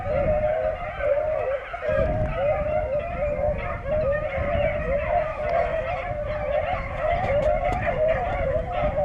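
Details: Beagle pack running rabbits on a hunt in Vera, Virginia, late in the day: a dense, continuous chorus of overlapping mid-pitched bays from several hounds, with no pauses across the whole stretch.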